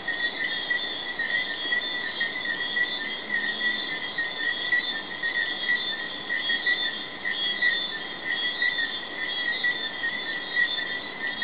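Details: Night chorus of Jamaican tree frogs at Hidden Paradise, Negril, recorded May 2008. Many voices merge into a constant high trilling drone with gentle pulsing swells, sustained without pause through the whole stretch.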